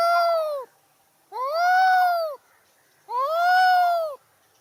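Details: Angry cat letting out three loud, sustained, nasal meows, each about a second long with a slight rise and fall, separated by brief silences.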